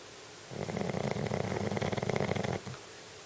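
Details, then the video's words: A Shih Tzu dog snores like a person, giving one rough, fluttering inhaled snore about two seconds long with a fast rattling texture, between quiet pauses. "snoring shih tzu"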